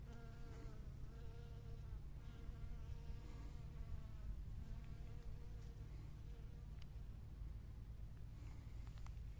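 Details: A honey bee busy among spring blossoms hums steadily for about six seconds, its buzzy tone wavering in pitch before fading away, leaving only a low outdoor rumble.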